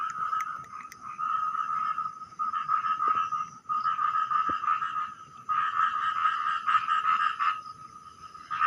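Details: Small frog calling loudly at night while people fish nearby: long, continuous stretches of grating, rattling pulses lasting one to two seconds each, with short gaps between runs.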